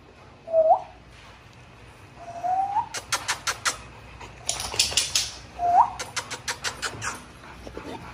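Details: An XL pit bull kept at a kennel with other dogs whimpers three times. Each whimper is thin and tonal, sliding upward. Between them come bursts of sharp clattering knocks, and a person calls a dog's name.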